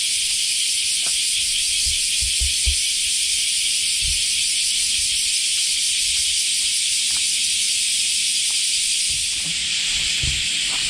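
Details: Common cicadas (semi) in Japan in summer, just after the rainy season, fill the air with a steady, shrill, pulsing buzz that never lets up.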